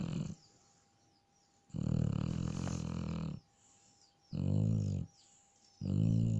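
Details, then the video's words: Sleeping Shar Pei giving loud, deep, rattling snores, each lasting around a second or more and separated by quiet pauses, with a faint steady hum in the background. "Шарпей храпит"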